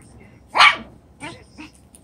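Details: Seven-week-old chocolate brown Toy Poodle puppies playing in a newly enlarged pen: one sharp, high yap followed by two softer, shorter yaps about half a second apart, over quiet room noise.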